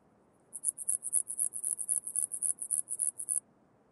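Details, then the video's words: Antaxius pedestris bush-cricket singing in Huben, Austria, on 8 September 2020, picked up with an ultrasound detector: a rapid series of about twenty short, high-pitched pulses in even rhythm lasting roughly three seconds, over a quiet background. "Antaxius pedestris -- Atlantische Bergschrecke"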